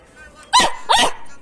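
A Belgian Malinois puppy gives two quick, high-pitched yappy barks.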